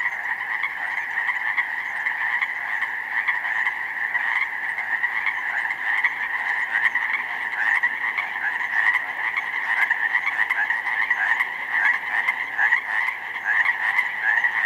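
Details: Pacific chorus frogs, a vast chorus of recently grown tadpoles, calling from a slough meadow flooded with snowmelt on 19 May in spring; dense continuous overlapping ribbit croaks form a steady roar, no gaps between callers.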